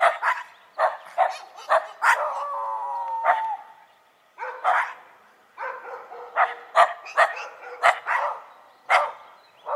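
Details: Dogs of the Shiba Inu and Schipperke breeds vocalize as a group, opening with rapid barks, then a long wavering whine-howl, followed by a brief lull and a steady run of sharp, evenly spaced barks.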